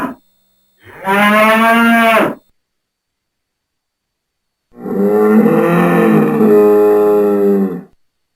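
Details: Farm bull bellowing: a loud moo of about one and a half seconds, a silent gap, then a longer, wavering, harmonic low of about three seconds with a rough edge; no other sounds.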